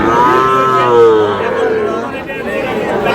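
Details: Sahiwal bull calf at a cattle market in Kurigram, Bangladesh, during buying and selling: a loud, harmonic, drawn-out moo that rises slightly then falls, with people talking and market chatter behind.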